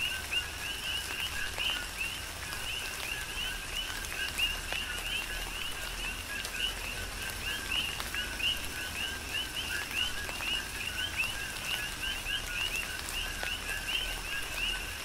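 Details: Rhythmic chorus of many coqui frogs in tropical rain, Big Island, Hawaii; dense overlapping high, upswept chirps repeating without pause, layered over steady rainfall with scattered louder drip clicks.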